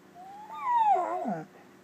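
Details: Domestic dog "talking" with its owner in a soft "howl whisper": a thin whine climbs, then slides steadily downward and breaks into a short, wavering, grumbling tail before falling silent.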